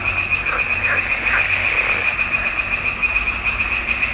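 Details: Frogs in a June 2021 swamp pond: a steady pulsing high trill from many callers, with several nearer croaks in the first two seconds.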